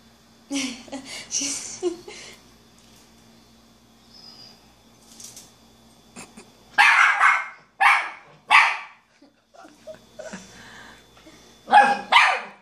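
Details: A five-month-old female miniature schnauzer puppy seeing herself in a mirror for the first time gives short, sharp barks and yips in bursts, with quieter gaps between, indoors.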